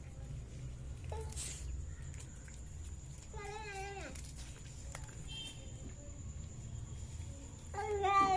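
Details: Cats eating fish utter brief, wavering meow-like cries, a short one early, a longer falling one in the middle and a rising one at the end, over low hum and scattered clicks.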